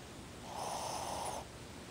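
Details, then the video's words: Pet Shih Tzu named Ozzy snoring in his sleep, eyes open; one drawn-out, rough nasal snore of nearly a second rises out of quiet room hiss and stops abruptly. "Ozzy, o Shih Tzu, roncando."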